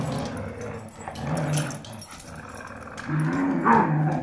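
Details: Dogs tugging and fighting over a rope toy give deep, steady growls, a sustained rumble near the start and a louder, rising snarl in the final second with a brief whine-like overtone.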